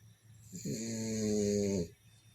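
A French bulldog gives one long, buzzy, droning snore while asleep.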